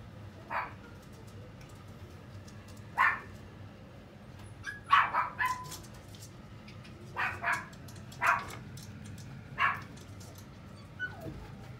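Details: Dog in a pet shop giving short, sharp barks and yips, single or in quick pairs, scattered irregularly across about twelve seconds over a steady low indoor hum.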